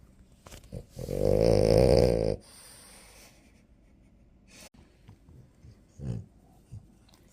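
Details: Drowsy French Bulldog napping: one loud, droning, harmonic-rich snore lasting over a second, followed by soft snuffles, sniffs and quiet breathing noises in a still room.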